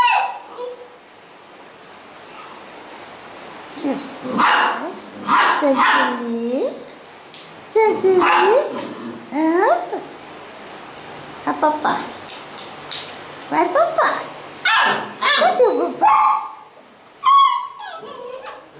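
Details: Basset Hound puppies at a kennel in Londrina, Paraná, Brazil, giving short, high yelping barks in irregular bursts separated by quiet pauses, with human voices speaking in between.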